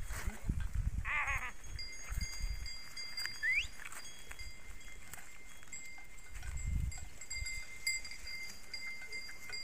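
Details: Farmed sheep in Telangana, let loose by their herders early in the morning; one short, shaky bleat rises early on, followed by low thuds, shuffling and a constant faint high tone.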